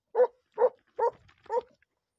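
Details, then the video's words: Segugio hound Macù del Faegolo training on hare on 28 February 2022, four loud, resonant barks evenly spaced about every 0.4 seconds, each with rich harmonics, against a quiet background. "SEGUGIO IN ADDESTRAMENTO su lepre"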